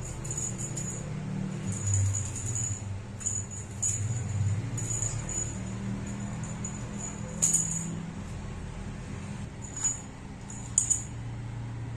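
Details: Repeated bright jingling like a small bell or rattle over a low hum, with occasional clicks and no animal voice.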